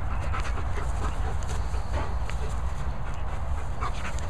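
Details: Two dogs, Vizsla Archie and German Shepherd Nala, worn out after play; quick breathy panting bursts sit under a heavy low rumble of wind-like noise.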